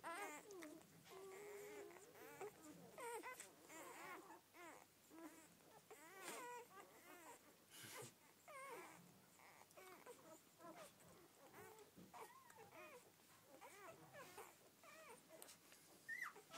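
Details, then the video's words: Newborn Rhodesian Ridgeback puppies from a first litter of twelve, crying together in a dense chorus of overlapping high squeals and whimpers, each rising and falling in short arched notes, with a faint steady background hum. "My Rhodesian ridgebacks first litter"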